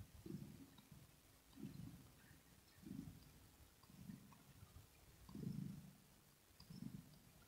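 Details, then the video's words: Low rolling purr from a contented kitten called Rosetta, recorded ear to ear indoors: muffled rumbling pulses repeating about every 1.3 seconds, one louder swell near the end, very little else audible. "Asmr With Kitten Cat 😽 Ear To Ear Purring"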